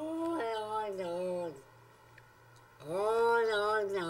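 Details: Domestic cat 'talking', said to be saying 'Oh Long Johnson': two drawn-out, strongly harmonic yowls that bend up and then sag, separated by a quiet gap of about a second, indoors with a steady low hum.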